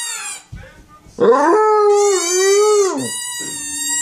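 A Basset Hound gives a long, drawn-out howl that holds steady before dipping at the end.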